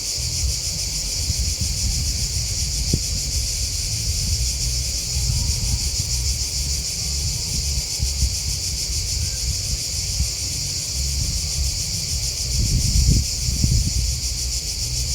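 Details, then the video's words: Crickets chirping in a nature setting: a dense, steady high-pitched trill of rapid pulses runs unbroken through the whole recording, over a continuous low rumble with a few soft thumps and rustles near the end. "Crickets Chirping Sound"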